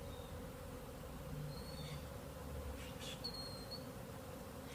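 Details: Many honeybees from more than one hive flying in the air together, possibly on orientation flights, making a steady, low, droning hum with a few faint, high bird chirps above it.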